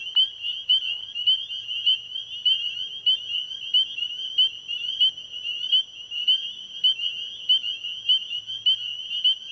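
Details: Chorus of spring peepers at an ecovillage pond after dark, shrill short peeps stacked densely and repeating almost twice a second, bright and continuous over a quiet background with faint low hum.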